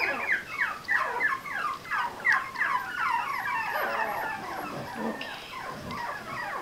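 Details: Sugar's four-week-old puppies, exploring their toys and puzzled about where someone above them is, keep up a dense chorus of shrill, downward-sliding squeaks and whines that overlap almost without a break.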